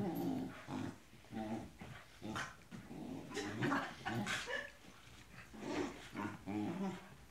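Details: Tibetan Terriers, a pair of pet dogs, growl indoors in short low, rumbling bursts that come about every half second to second, with brief pauses between them and some noisy higher breaths mixed in.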